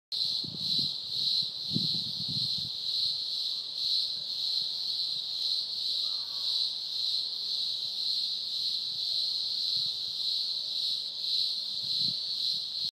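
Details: Cicadas in spring, still early and with more yet to appear, make a continuous, piercing buzz, a high metallic whine that throbs gently without pause; a few low thumps and faint background sounds near the start.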